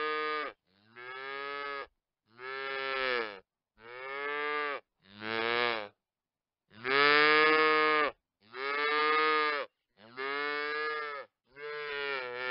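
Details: Veal calves calling in a steady series of loud, harmonically rich bawling moos, about eight in twelve seconds, each roughly a second long with brief pauses between.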